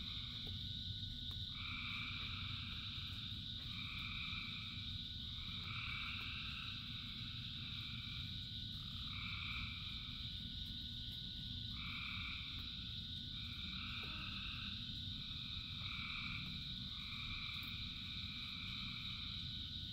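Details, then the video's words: Thousands of frogs singing in rain. Short buzzy two-toned croaks repeat about every one to two seconds over a continuous shrill background chorus and the dense rumble of falling rain. "Frogs in Rain 2 Hours of Frogs, Thousands of Frogs Singing"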